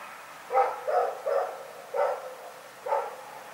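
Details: At night Rex the dog gives five loud, rough barks spaced unevenly, the first three quickly together, then two more after short gaps, over faint background hum.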